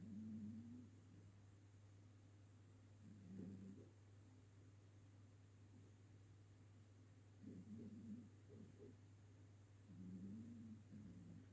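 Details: Ginger cat that has adopted a household, sleeping on a sofa and snoring loudly indoors; low rumbling snores come in bursts roughly every three to four seconds, each with a drawn-out breathy buzz over a steady low hum.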